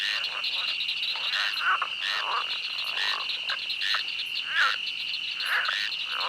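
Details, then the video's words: Night swamp with frogs giving scattered, irregular quacking croaks, a few louder and nearer, over a continuous high-pitched ringing background. "The sound of a night swamp where frogs quack."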